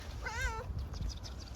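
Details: Grey furry homeless stray cat on the streets of Istanbul, hungry, gives a single clear drawn-out meow, slightly rising then falling, lasting under half a second, with low background rumble.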